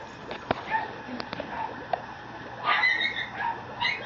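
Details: Young male Mame Shiba puppy at a Japanese breeding kennel, giving short high yips and then a thin rising whine near the end, over soft clicks and scuffling handling noises.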